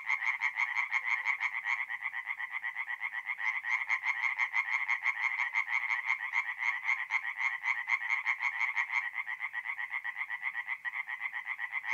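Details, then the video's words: Forest pond at night in mid-April, north-east Italy, full of singing tree frogs; rapid repeated rasping croaks from several individuals merge into a constant pulsing chorus, about two bursts a second. "relaxing forest pond by night with singing tree frogs"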